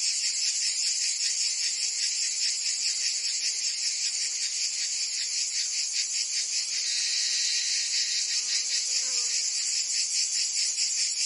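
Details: Summer cicada chorus in Provence, France, a steady shrill buzz throbbing in fast regular pulses, swelling slightly midway through; faint low murmurs beneath.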